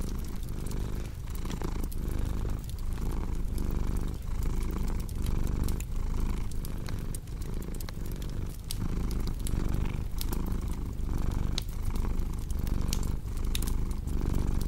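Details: A cat's deep, rhythmic purr pulses roughly once per second as it breathes in and out, with crackling fireplace snaps scattered through it.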